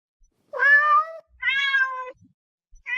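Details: Pet cat meowing twice in quick succession, each call drawn out and clearly harmonic, the second slightly falling at its end, with a third meow just starting as the recording closes; a quiet indoor background.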